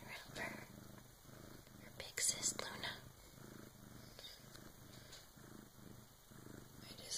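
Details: Bengal cat purring during the birth of her first kitten at around 3 in the morning, helped by her big sister: a low rumbling purr pulsing about once a second, with soft whispering voices and a few brief rustles over it.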